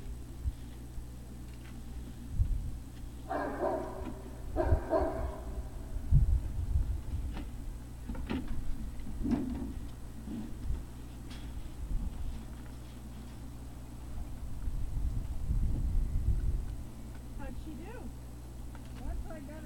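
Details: Great Dane puppies: a pair of short, rough barks a second apart early on, then thuds, shuffling and low rumbling noise amid a constant background hum.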